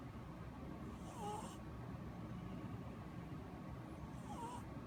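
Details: Two hissing snore breaths about three seconds apart from Ramen, an orange cat taking a nap, each with a small whistled squeak, over a low droning room hum.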